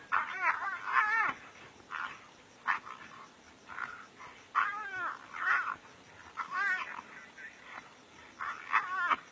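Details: Two brown hyenas fighting seriously in the African bush give shrill, wavering squeals and yelps that rise and fall in quick, overlapping bursts every second or so.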